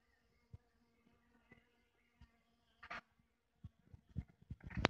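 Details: A foraging western honey bee (Apis mellifera) visits wild wine blossoms in a place humming with bees. Its soft, steady wing hum drones low, broken by a few sharp knocks and rustles.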